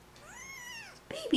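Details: A baby kitten gives one high, thin meow that rises and then falls away, with a person's cooing voice cutting in right after it.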